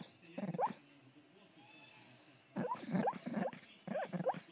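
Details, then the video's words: A female English Bull Terrier gives odd squeaky, rising, gerbil-like whimpers in her sleep, in three short bursts. "Pickle making gerbil noises"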